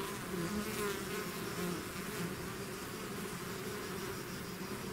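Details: Bee swarm pouring out of its hive, a dense continuous hum of many wings with overlapping wavering drones, steady and unbroken throughout.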